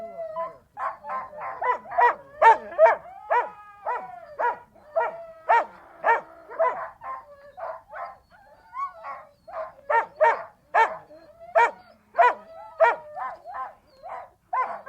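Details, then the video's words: Siberian Huskies in a long, busy chorus of rapid harmonic barks and yips, several overlapping, with drawn-out howl tones weaving through and a brief lull near the middle. "The sounds of Siberian Huskies"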